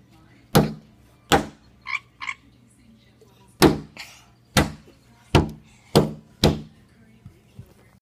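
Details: Frog sitting on a window croaks in response to hits on the glass: sharp thumps every second or so, with a pair of short buzzy croaks between the knocks partway through.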